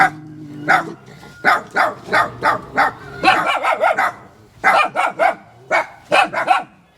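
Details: German Shepherd barking: about a dozen punchy, bright barks in uneven clusters with short gaps, and a steady faint tone underneath near the start.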